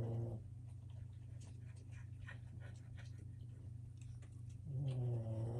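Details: Boston Terrier puppies playing on a wobble-disk toy give low, rumbling growls at the start and end, with light knocks and scuffles between.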